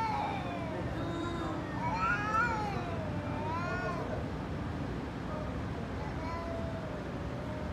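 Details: Angry cat in a fight, uttering a few short arched meows and yowls in its middle seconds, partly buried under a heavy low-pitched background noise, with quieter, flatter calls trailing off.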